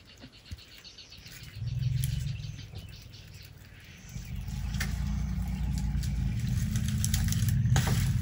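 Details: Elephants outside a camping tent after dark in Tarangire National Park, Tanzania, making a purring noise like a big cat. Two deep rumbling purrs, the second longer and steadier, with light clicks and rustles.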